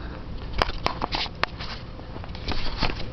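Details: Scattered sharp clicks, taps and footsteps in an indoor space over a low rumble; no animal sound.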